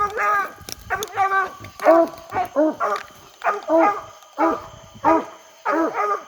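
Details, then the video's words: English Coonhounds coon hunting on a hot summer night, barking at a tree the quarry climbed: steady, ringing chop barks, roughly ten in a row at about one and a half per second, with faint talk in the background. "Long live the sound of a hound"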